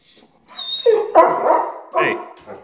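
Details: Pet German Shepherd dog objecting to its owner leaving for work, giving drawn-out, wavering, groaning whines that rise and fall, ending with a short higher-pitched yelp-like note, in an indoor setting.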